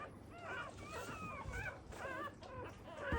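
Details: First-litter newborn black Labrador Retriever puppies needing revival after birth: short bursts of high, squealing whimpers in clusters, each cry arching up and down, with quiet rustling between them.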